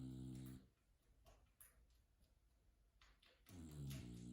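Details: Bulldog Mildred asleep on a couch, snoring: a low, rumbling, harmonic snore fills the opening half-second, then a quiet pause with faint clicks, before another deep snoring breath returns near the end.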